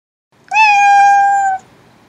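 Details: Domestic cat giving a single clear meow, about one second long, steady and slightly falling in pitch with a rich harmonic tone, in a quiet indoor room.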